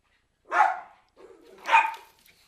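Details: Two loud, sharp barks from Cairn Terriers about a second apart, the second preceded by a low growly lead-in.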